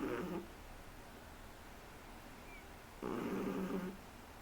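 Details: Shih Tzu puppy, three months old, snoring in a small room. A short snore is cut off at the start, then after a quiet gap comes a fuller, roughly one-second rattling, throaty breath with a brief high whistle.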